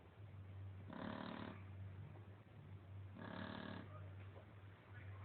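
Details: Lolita, a Shar Pei, snores in her sleep: two long, raspy, vibrating snores about two seconds apart over a constant low electrical hum.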